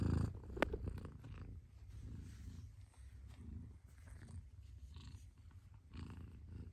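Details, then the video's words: A mother cat purring: a low, steady rumbling throb close to the microphone, pulsing evenly throughout with a brief sharp click near the start. "Mother Cat Purrs"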